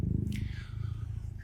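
A serval purrs in a low, steady, rumbling pulse, with a faint scrape over the top.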